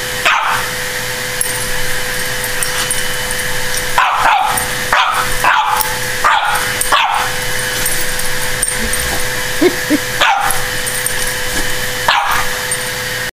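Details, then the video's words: French Bulldog barking at a running vacuum cleaner indoors, sharp barks scattered across the recording, about eight, over steady vacuum motor drone with a constant hum. "Frenchie vs. vacuum"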